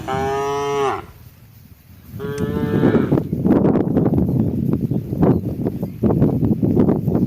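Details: A cow calling its herd at water time gives two short, rich moos, one falling at the end, followed by several seconds of steady splashing and shuffling noise.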